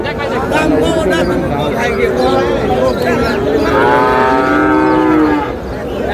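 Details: Moo of Sahiwal bull calves at a Noakhali cattle market, 18 June. One long, clear, tonal low followed by a rich, sustained bellow near the end, set against a busy background of human chatter.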